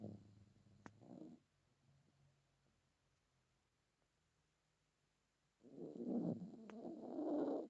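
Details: Male Chihuahua asleep, snoring: a rough, rumbling snort at the start, then near silence for about four seconds before a louder, longer, gurgling snore of about two seconds, indoors.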